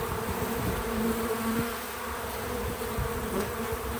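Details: Bees working at a feeder, natural audio only: a short stretch of continuous low buzzing, slightly louder in the first second and a half, steady and unbroken.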